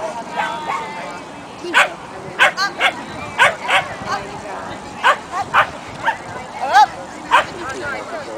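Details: Agility trial competition at Old Westbury Gardens, NY, featuring a King Charles Spaniel: a run of about a dozen quick, high, excited barks spread through the clip, with voices chattering underneath.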